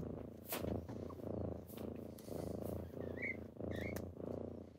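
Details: Low pulsed purring from kittens waking their owner in the morning, short swelling bursts with soft high chirps and rustling clicks in between.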